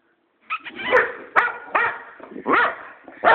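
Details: A pet boxer dog barks at its owner for no clear reason. About six short, rough, harsh barks come in an uneven string over three seconds. They are loud and close, with small yips between them.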